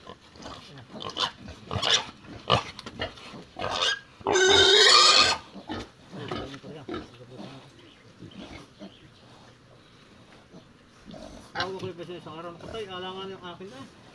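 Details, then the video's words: Native pig kept as livestock lets out one loud, rough squeal lasting about a second. Conversation and clattering come before it, and quieter voices and tonal background sounds follow. "Native Pig"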